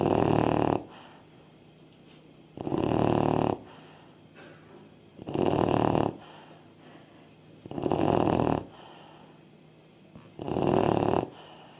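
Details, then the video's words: Snoring from a 3.5-month-old Labrador Retriever puppy, five evenly spaced, loud raspy breaths about every two and a half seconds, each lasting around a second, with a soft hiss in between. "Как храпит щенок"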